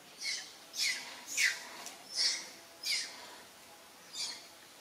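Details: Monkey from a group featuring mother monkey Alika and Papa Kang Kep, giving six shrill, high-pitched squeals spaced roughly every half second, each a short rising-and-falling burst over a quiet background.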